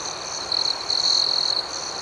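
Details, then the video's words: Crickets chirping in the night, a bright sustained high trill rising out of the faint ringing background in two long stretches separated by a brief pause. "Soothing Cricket Sounds"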